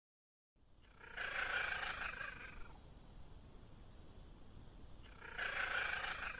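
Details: A Bengal cat gives two drawn-out, harsh meows separated by a brief pause.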